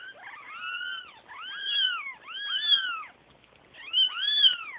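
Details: Kittens crying for their mother: overlapping high, arched mews that rise and fall, several voices calling together in bursts about a second long, with short pauses between.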